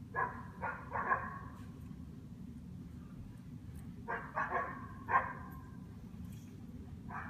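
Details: Standard poodles, a pair, barking while chasing off deer to guard their owners: clusters of quick rough barks, some doubled, about eight in all with a pause mid-way, against a constant low drone.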